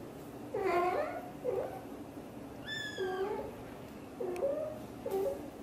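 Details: Mother cat Xaxa, a blue golden British Shorthair, talks while hugging her tiny kitten Piano; a string of five short chirping meows, one higher and longer, with a faint hum and a click in a small room.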